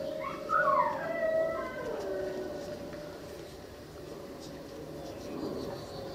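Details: Female Cane Corso puppy, five and six months old, howling: a rising then falling wavering cry opening the clip, settling into a level, sustained tone that fades gently toward the end.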